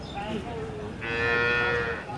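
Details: Holstein Friesian cow at Chowbaria bazar cattle market, 2018, a cow giving 12 liters of milk: one long, steady, low moo held for about a second, with market chatter and speech around it.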